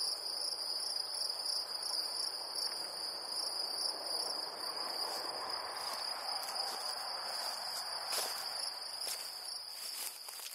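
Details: Great green bush-cricket in Brittany, France: a sustained high, even buzzing trill, joined near the end by several sharp tapping or rustling clicks close by.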